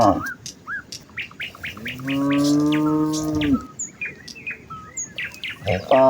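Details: A herd of village cows walking towards the fields in the morning, calling to each other: one long, steady harmonic moo lasting about a second and a half, with a second moo starting at the end, amid frequent chirping birdsong.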